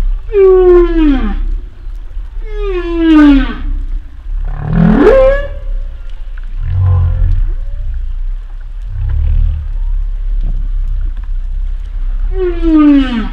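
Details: Humpback whales, a male and female pair near a moored boat at Silver Bank on a February morning, 2020: descending harmonic moans, a sharply rising whoop, and low grunting rumbles, repeating over several seconds.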